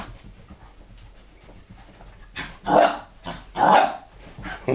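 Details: Pet dog playing with a laser pointer, showing his enjoyment; two sharp, loud barks about a second apart over quiet indoor background noise.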